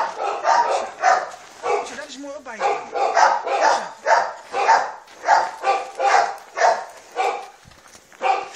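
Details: Malinois puppy, three months old, biting on a puppy sleeve during play training; rapid run of harsh yipping barks about twice a second, mixed with a person talking and a brief rising whine.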